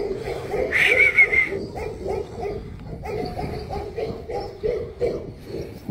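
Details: Tibetan Mastiff barking in a steady run of deep, heavy barks, about two to three per second, with brief louder bursts near the start.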